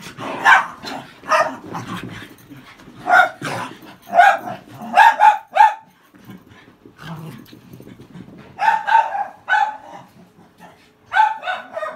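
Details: Cairn Terriers in a play fight, second round: harsh growls and snarling yaps in irregular bursts, with quieter rumbling growls between, and a person speaking at the start.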